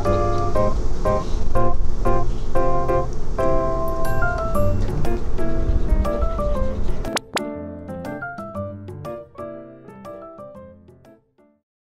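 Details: Bright keyboard and piano background music with bouncy repeated notes, thinning to sparse plucked tones after seven seconds and fading to silence; no animal sound.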